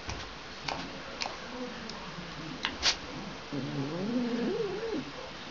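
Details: A cat calling while it wants its toy back indoors: a drawn-out, wavering meow rising and falling over the last two seconds, after soft murmured sounds and a few clicks.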